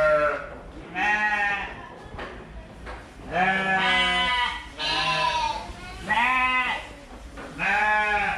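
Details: Fluffy sheep bleating in a series of harmonic, wavering calls, several loud bleats spaced roughly one to two seconds apart, with a faint voice in the background.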